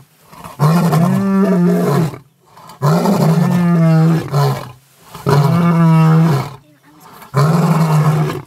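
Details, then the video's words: Mapogo lions of the bushveld, whose roars reach about 8 kilometres: four steady, low, droning roars of about one and a half seconds each, with a clean tone and short pauses between them. "Mapogo roars the entire bush-veld shivers with fear"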